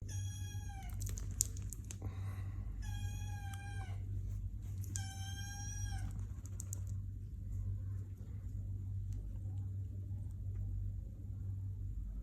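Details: Relaxing Sphynx kitten giving three clear, drawn-out mews in the first six seconds, each steady and slightly falling in pitch, over a constant low electrical hum and faint rustling, then only the hum.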